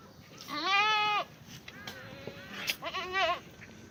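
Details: Black goats in a farm's exercise yard in Gimhae, South Korea, on a clear Tuesday morning: a loud, wavering bleat of about half a second, a quieter sound, then a second shorter bleat, with faint clatter behind.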